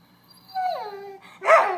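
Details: Dog crying for attention: a falling whine sliding from high to low, followed by a sharper yelping cry with rising and falling tones near the end.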